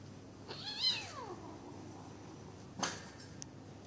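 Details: Bengal kittens sparring in play at a pet shop in Kuching, Sarawak, Malaysian Borneo; one high, thin mew sweeps up and then slides down, followed by a sharp click and soft rustling.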